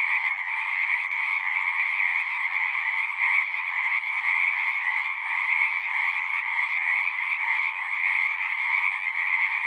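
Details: Frogs singing in a dense, continuous chorus, a steady overlapping trill of many callers with no pauses, bright energy in two bands, one high and one lower, holding level throughout without other sounds.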